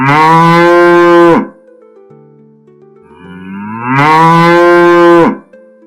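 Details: Young cow mooing twice, each a loud, rich, steady low moo of about a second and a half, with a quiet pause between them while gentle background music plays.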